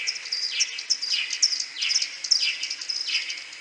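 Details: Maternity roost of common pipistrelles in a wooden hide, May 2022, whiskered bat possibly present; at tenfold slowdown, short sweeping chirps drop steeply and repeat roughly twice a second amid twittering sonar clicks.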